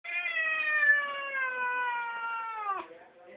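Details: A domestic cat on catnip gives a long, drawn-out, puma-like yowl that slowly falls in pitch over about three seconds.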